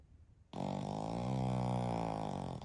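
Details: Sleeping Pekingese–Shih Tzu mix from a multi-dog household where father Shiro, mother Shii and eldest daughter Shiyu doze together; a long, droning, rattling snore of over two seconds, low and evenly sustained from start to finish.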